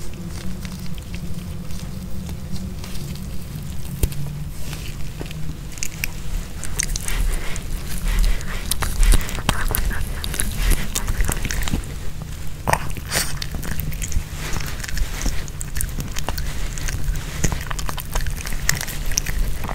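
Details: Nino, a Pomeranian dog, eats a homemade chicken hearts kebab with bell pepper without any talking. Close, dense crunching and wet biting clicks come in quick irregular bursts over a steady low rumble, growing busier toward the middle.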